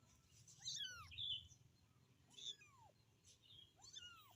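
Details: Three quick, piercing kitten meows, each a short arc sliding down in pitch, as the young cat calls to its mother, with a faint background hum.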